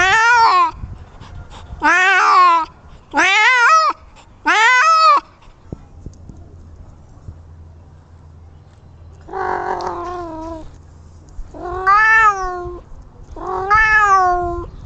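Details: Kittens making strange, adorable noises: four short, bright, harmonic meows in quick succession, each rising then falling, then a quiet gap followed by three longer, wavering meows with a nasal, strained tone.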